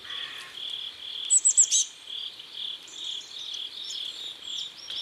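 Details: By a South Korean river at sunset, crickets keep up rhythmic pulsed chirping, overlaid by a quick run of four loud high thin notes and a lower grating call at the start.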